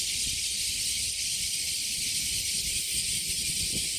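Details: Many cicadas fill a summer day at Kasai Rinkai Park, Tokyo, Japan, with an even, high, hiss-like drone that never pauses. Low murmuring background noise runs underneath.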